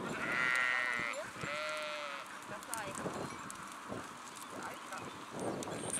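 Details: Two drawn-out, wavering bleats from a sheep flock open the recording within the first two seconds, followed by quieter scattered sounds and soft background hiss.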